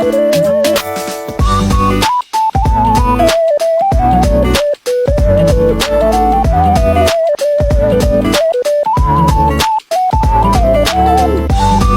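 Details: Upbeat instrumental music with a plucked melody and a steady beat, briefly dropping out several times, with no animal voice.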